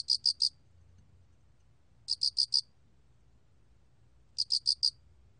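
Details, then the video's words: Three high, ringing chirps from a 알락귀뚜라미 cricket, National Institute of Biological Resources recording from 2020; each chirp a tight run of four pulses, spaced about two seconds apart over quiet background. "알락귀뚜라미, 여러번 듣기, 곤충소리"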